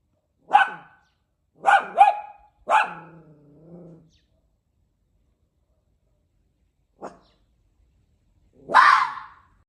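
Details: A red fox raised with a dog, trying to bark, gives short, hoarse barks, some doubled, with a low rattling growl between them.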